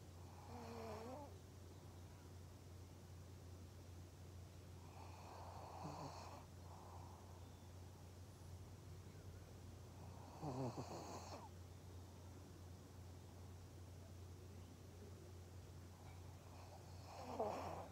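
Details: Maria, a pug in Japan, recorded on 3 November 2020, snoring softly: four low, rasping breaths spaced about five seconds apart over a steady low electrical hum, the last one slightly louder.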